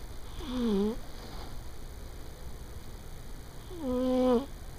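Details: Fifteen-year-old pet cat snoring while asleep midday on the corner of a bed: two soft, nasal, droning breaths about three seconds apart, each dipping then rising slightly, over a steady household hum.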